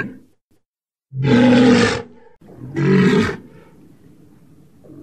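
A walrus gives two deep, rough bellows, each lasting under a second, with a short pause between.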